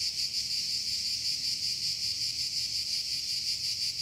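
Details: A continuous shrill cicada buzz, evenly pulsing and wavering in loudness, with nothing else standing out over the drone.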